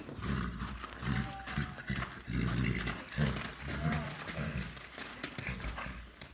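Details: Thoroughbred stallion covering a mare for the first time during natural breeding, giving low, rough, grunting snorts repeated in irregular bursts, with handling noise and background sounds.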